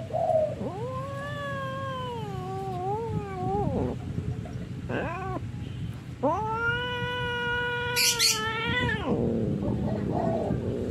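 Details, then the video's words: Orange cat in a fight, letting out sustained, rising and falling caterwauls. A brief break follows, then a louder, higher yowl cut by a sharp hissing spit near the end, over steady low background noise. "Kucing oyen mayah mayah suara nya lucu"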